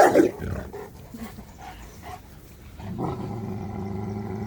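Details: A female Cane Corso gives a low growling vocalization as she corrects a big, excited puppy, asserting dominance.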